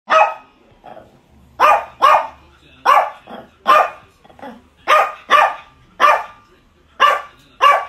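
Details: Chihuahua barking insistently, demanding what he wants and not quitting until he gets it; a steady run of sharp, high yapping barks, roughly one or two per second, some in quick pairs, with softer grunts between.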